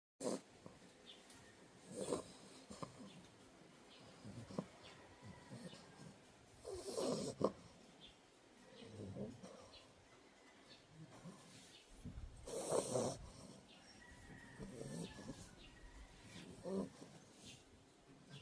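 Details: Sleeping puppy snoring softly: low, breathy rasping swells recur every two to three seconds, some louder snorts near the middle, with faint background hiss.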